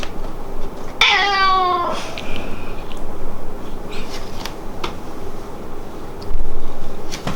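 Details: Hamu-chan, a house cat whose meows change depending on whether it calls the parents or its favourite daughter; a single clear, strained meow sliding downward in pitch, followed by quiet room noise and soft taps.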